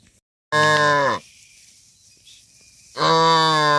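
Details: Tame cattle being herded back to a farm pen, one of dozens. Two long, loud moos with rich, steady harmonics. The first lasts about 0.7 seconds and falls at its end. After a quiet gap, the second, similar low moo begins.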